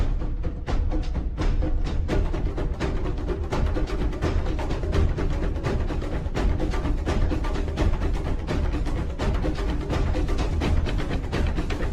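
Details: Steady percussion music with booming drums and knocking wood-block beats throughout, and no animal sound.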